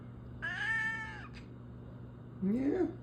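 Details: Female domestic cat insisting on going outside in freezing weather: one loud, clear, level meow of about a second, then a person's voice answering, with a steady low hum indoors.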